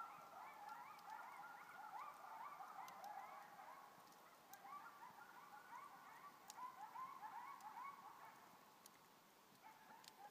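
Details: Coyote. Several coyotes yip at once, their quick high barks and quavering slides tumbling over one another. The chorus sounds somewhat distant, and a faint hiss runs beneath it.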